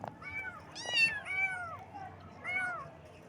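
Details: Cute baby kittens meowing in the morning: several thin, arching meows, a short burst of two overlapping cries, then a single later meow, with a few soft taps.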